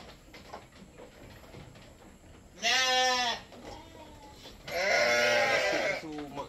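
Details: Goat milked to feed a newborn kid utters two strong, trembling bleats, the second longer and rougher, about two seconds apart, with soft human speech nearby.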